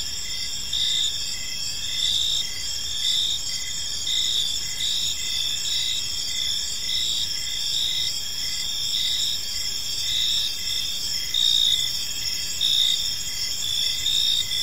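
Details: Crickets chirping in a peaceful park as evening unfolds; a steady high-pitched chorus of layered trills, with pulses swelling roughly every second over a constant insect drone.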